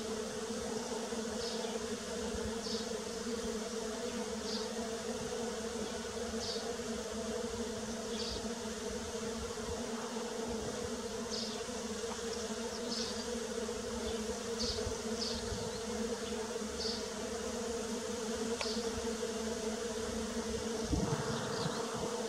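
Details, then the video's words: Constant humming drone of bees in early spring, unbroken for over twenty seconds. Light, high chirping notes recur every second or two behind it, and a soft rustle is heard near the end. "Bee Sounds _ Early Spring"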